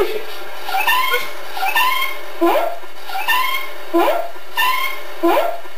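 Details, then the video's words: Ozzy the Kitty, a pet cat, recorded on Sept. 27, 2013, sounds as though saying "Good Day?" with a run of short, speech-like meows. Each meow rises and then falls, and they repeat roughly every half second to second in a small room. "Ozzy the Kitty says: "Good Day?""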